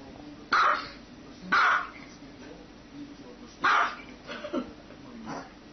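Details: Dog barking: three loud, harsh barks, the first two a second apart and the third after a two-second gap, followed by softer, shorter yaps near the end.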